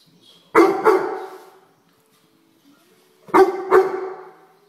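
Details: Weimaraner dog berating a house fly: two quick double barks, harsh and loud, about three seconds apart, with faint soft sounds in the gap.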